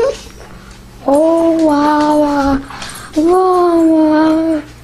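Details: Samoan husky dog wanting its mom. Two drawn-out, slightly falling tonal whines, each lasting over a second and separated by a brief pause, with a faint noise at the start.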